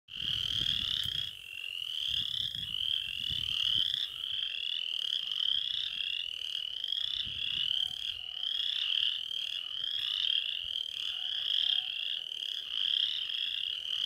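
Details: Western chorus frogs calling in a dense chorus. Rising, rasping trills overlap almost without a break, each lasting about a second. Low thumping rumbles are heard in the first few seconds.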